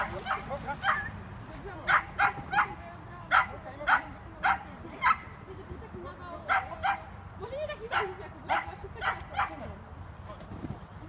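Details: Border Collie barking during agility training, sharp excited barks repeated roughly every half second in bursts, with a person speaking Polish in the background and steady outdoor noise.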